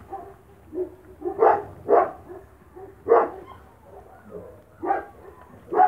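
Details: Spanish Mastiff from the Vegas Altas del Guadiana, Spain, near puppies eating kibble: broad, fairly deep barks roughly every half to one second, some softer yips between them.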